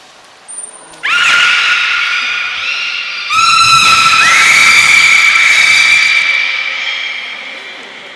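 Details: Captive beluga at Port of Nagoya Public Aquarium, 18 February 2024, during play time after an unusual fish feeding; steady harmonic whistled tones begin abruptly, then a second call sweeps upward and holds as a long, bright, buzzy whistle before fading.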